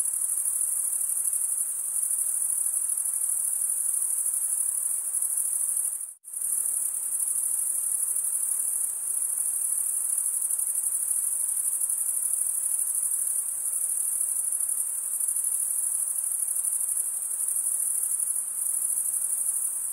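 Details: Crickets chirping at night in a summer forest: a dense, continuous high-pitched trill held steady throughout, broken only by one brief silent gap near six seconds, with a faint soft hiss beneath.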